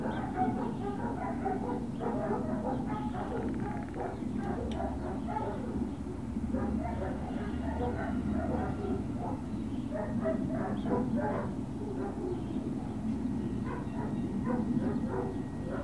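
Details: Great Dane puppies at Puppy Hill on 21 March 2019, late morning: a busy, overlapping stream of short high yips and barks throughout, some whimpering tones, over a steady low mechanical hum.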